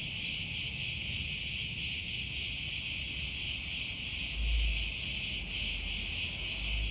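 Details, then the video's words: Cicadas in a chorus among olive groves on Crete, Greece: a dense, continuous high buzzing that holds steady throughout, with faint low rumble beneath. "Cicadas Orchestra in Olive Groves"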